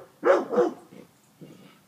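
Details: An excited dog hunting a rat by smell gives two quick loud barks close together, then a softer bark, followed by a brief quieter yelp.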